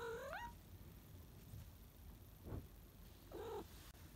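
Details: Salem, a house cat fresh from an afternoon nap and exploring the house, gives a short rising meow at the start. A second, quieter meow follows about three seconds later over a low indoor hum.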